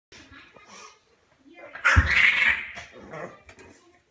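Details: Bear, a female bulldog indoors, fusses because she wants her collar off: a loud, strained, high whining yelp near the middle, under a second long, framed by softer grumbling noises and a person talking.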